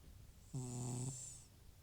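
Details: Aged rescued house cat Butcher, FIV-positive, sleeping with loud snores; a single half-second low droning snore rich in buzzy harmonics, followed by a fading breathy exhale in a quiet indoor setting.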